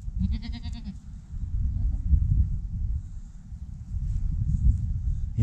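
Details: First goat kid born this year gives one short, wavering, nasal bleat near the start, lasting under a second, then heavy low rumbling and handling noise fill the rest.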